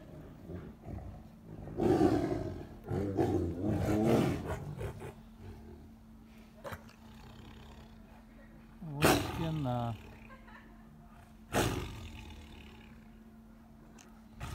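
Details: Captive tigers at a lion park in Crimea during a family showdown, a tigress raging at a male who tried to befriend her: harsh roaring bursts around two to four seconds, a growling roar near nine, another near eleven, a man talking, steady hum.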